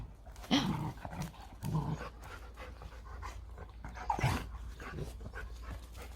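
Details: Three-month-old puppies at play, tireless all day: short throaty growls burst out near the start, around the two-second mark and again past four seconds, mixed with panting, scuffling and a person talking in the background.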